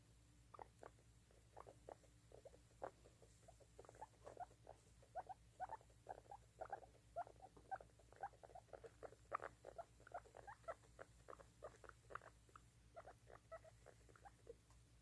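A baby guinea pig gives rapid, repeated short squeaks and chirps in quick bursts.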